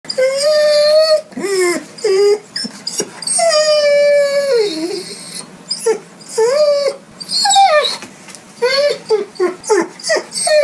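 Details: A hungry dog whines and yelps in a long series of high, wavering cries that bend upward and then fall, some drawn out and some short, coming in quick irregular bursts with brief pauses between them.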